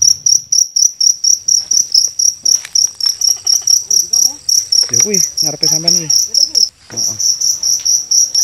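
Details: Night-time cricket in Indonesia, found by hunters using torches and caught to train songbirds. Shrill, evenly pulsed chirps run about twice a second, with men talking in the middle and a brief gap near the end.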